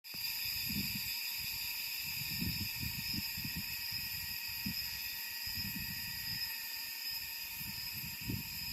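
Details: Cicadas in summer in Da Lat, a mountainous city in Vietnam's Central Highlands: a steady, unbroken high-pitched drone with layered shrill tones, under low rumbling bursts of wind or handling noise.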